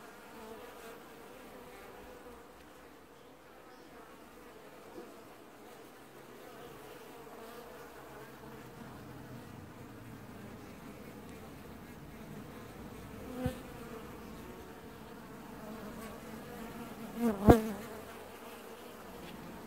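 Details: Honey bee colony at an apiary hive, washboarding in early July 2019: a quieter, soft buzzing hum under low rumble, with a muffled thud near thirteen seconds and a sharp knock near seventeen and a half seconds.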